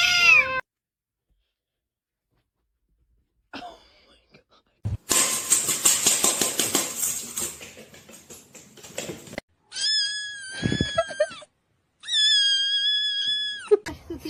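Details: Kitten calls from a cute kittens compilation: one falling meow at the start, a long silence, a noisy rustling stretch, then two sustained, level, high-pitched cries.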